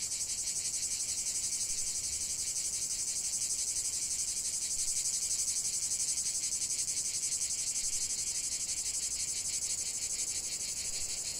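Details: Steady chorus of cicadas outdoors, an unbroken sizzling high buzz made of rapid even pulses, holding a near-constant loudness throughout.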